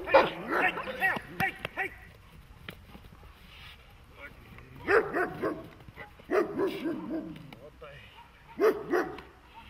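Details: German Shepherd dog during protection training, giving loud harmonic barks in short bursts: a rapid cluster in the first two seconds, then single or paired barks near five, six and nine seconds, with a man's shouted commands between.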